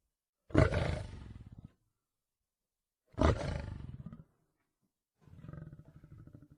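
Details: Lion heard in the wild: two deep, loud raspy roars about two and a half seconds apart, followed by a softer rumbling, pulsed growl.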